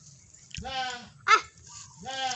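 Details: Two drawn-out, quavering goat bleats separated by a short sharp knock, in a quiet, close space with low rumbling in the background.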